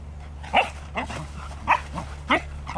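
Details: Two English Cocker Spaniels playing together in August 2014: sharp, short barks and yelps burst out roughly every half second, each a bright clipped note, with a low steady hum underneath.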